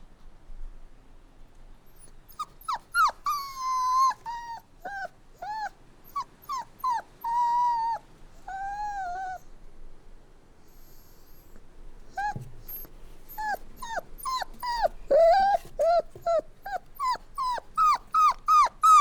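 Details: Whining puppies produce bursts of short, pitch-dropping cries and longer wavering whines, pausing briefly midway, then resuming with a rapid, steady series of yelps that grows louder toward the end.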